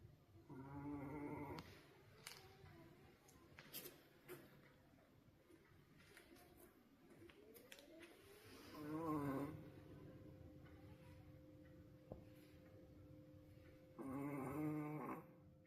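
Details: Roku, a wolf-sable Pomeranian dog, snoring at his loudest ever, possibly tired: three loud, rasping, harmonic snores come about five seconds apart, with quiet breathing and faint clicks between them.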